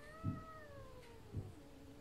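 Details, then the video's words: Sphynx cat visiting another cat that is not happy about it, meowing in a drawn-out, falling wail that slides steadily lower over two seconds, with two soft thumps underneath. "CAT MEOW SPHYNX CAT visiting Maymay"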